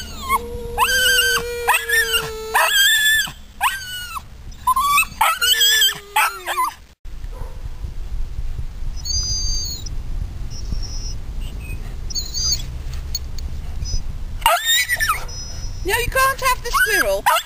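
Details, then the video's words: {'caption': 'Polish Lowland Sheepdog screaming at a squirrel, with a Flat Coated Retriever joining in: bursts of shrill, bending yelps at the start and end, separated by a stretch of low rumbling background noise with faint squeaks.'} "screams at the squirrel"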